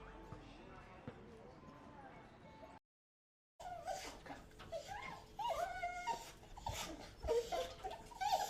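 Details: Dogs and puppies whimpering: wavering, squeaky whines and small yips grow more frequent after a short gap, over steady indoor background noise and some voices.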